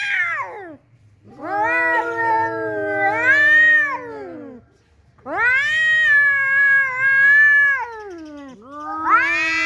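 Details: Two cats arguing at home after another tomcat came into the house, the resident cat angry and threatening: long, wavering, drawn-out yowls of several seconds each, sliding down at the ends, with pauses between and a faint low hum beneath.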